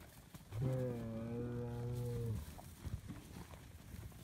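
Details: Highland cattle bull on a farm in Finland, kept outdoors year-round, lowing while being given bread: one long, steady, deep moo of about two seconds with even harmonics, followed by shuffling, chewing and soft thuds.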